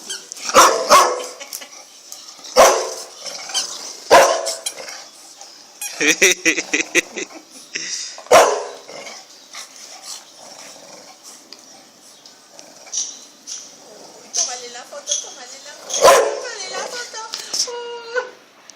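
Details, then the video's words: Bulldog puppy playing with a toy bone, with a sister it has just met: sharp high yappy barks and squeaky yelps in scattered bursts, some rapid stuttered series, with thin whining tones near the end. "Bulldog Puppy Plays With A Toy Bone"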